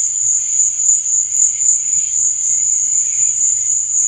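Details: Chirping cricket at night, an even, high, unbroken trill over a faint low rumble in the background.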